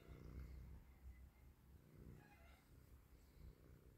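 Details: A colorful stray cat living on the street purrs while wanting to be petted: a steady, low, softly pulsing rumble running through the whole stretch, with faint tonal hum above it.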